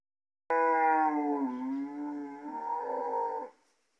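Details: Gyr cattle bellow among three bulls offered for sale in Morazán, El Salvador, out in the countryside: one long, loud, harmonically rich moo lasting about three seconds, dipping in pitch midway, then rising and swelling again before cutting off.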